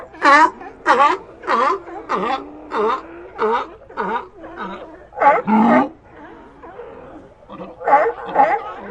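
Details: Repeated hoarse barks from sea lions in a colony, roughly one every half to two-thirds of a second, with a steady, rhythmic pulse, a brief pause near the sixth second, and then more barking.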